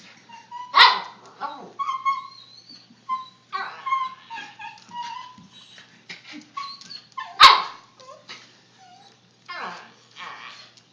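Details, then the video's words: Puppy "talking" with a run of high, tonal whines and short yelps that rise and fall in pitch, broken by two sharp loud barks near the start and again after seven seconds. "Talking Puppy"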